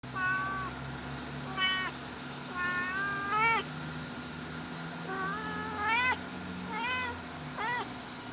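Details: Mother cat calling out while looking for her kittens. She gives a string of about seven clear meows over eight seconds, many rising or bending upward at the end. A steady low hum runs underneath.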